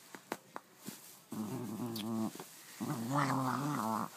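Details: Pet dog playing with its new toy, making odd gremlin-like sounds: after a few faint clicks, two sustained warbling growls with wavering harmonics, the second rising and wobbling in pitch.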